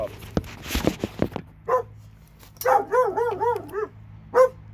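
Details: Two dogs in Alabama bark after a patch of rustling and clattering, a quick string of arched barks, then one last bark.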